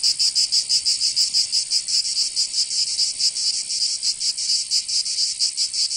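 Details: Cicadas singing in summer in Provence, southern France: a loud, high, dry buzzing chorus that throbs in quick, somewhat uneven pulses, with no other sounds.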